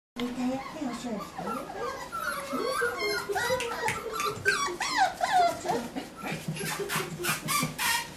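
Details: Medium poodle puppies of Chaser, recorded 22 October 2013 and a little scared in an unfamiliar place, whine in high, wavering, overlapping whimpers that rise and fall rapidly, with a woman speaking Japanese softly between them.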